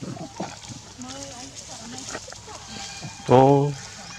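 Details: Adult monkey in Cambodia scaring a big male monkey; over soft background chatter and human speech, a sudden loud, harmonic, nasal call bursts out for under half a second near the end.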